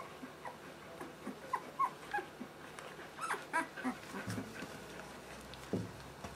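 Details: Two-week-old puppies from a Merszi and Victor litter, squeaking and whimpering in a run of short high cries and small yelps, with a low rumble and shuffling underneath.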